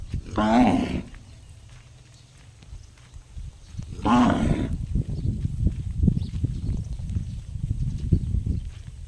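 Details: A cow makes an unusual gong-like call: two loud, harmonic, ringing cries about four seconds apart, followed by steady low rumbling and scattered background noise.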